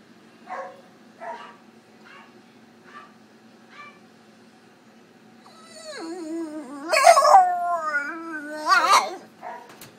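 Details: Drowsy female French Bulldog just out of routine surgery at an animal clinic, unhappy from anaesthetics and mild discomfort: several soft short whimpers, then a loud wavering howl-like moan that rises, wobbles and breaks, fades and returns briefly.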